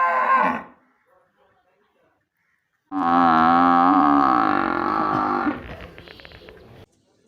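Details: Village buffalo kept alongside cows: after a brief sound and a near-silent pause, one loud, deep, harmonic moo rings out for about two and a half seconds, then fades into low rumbling before the clip ends quietly.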